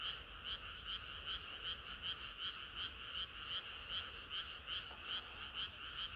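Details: A summer-night frog chorus: many frogs croaking at once, each beat a short bright pulse, about two and a half per second, rolling on evenly with a soft layered background of more distant callers.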